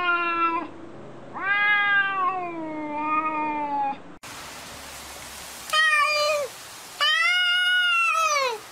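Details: Arguing cats trade long, wavering meows, first a low sustained drawn-out wail that slowly falls in pitch, then after an abrupt cut two shorter, higher, arched meows that bend down at the end.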